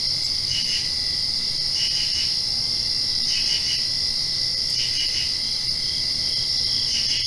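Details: A nighttime cricket chorus directly after rain, high and steady, with repeated clusters of two or three sharp chirps about every second and a half over a continuous shrill background drone.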